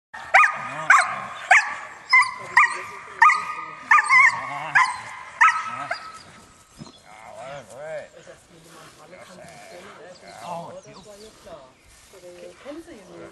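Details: Young sable West German working line German Shepherd, an older pup starting protection bite work training, barks about ten times in a sharp, fairly even series over six seconds, then quieter voices and handling sounds follow.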